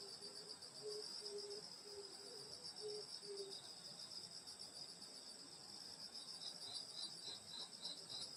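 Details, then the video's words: Summer countryside night by a grandmother's rural house, insects singing: steady high ringing trills fill the background, while a lower short note repeats about six times early on, then stops and leaves the high chorus alone. "여름소리 풀벌레소리 시골밤소리"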